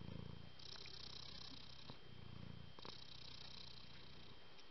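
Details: Cat purring: a low, steady rumble in soft pulses, swelling and easing with each breath, over a constant faint hiss.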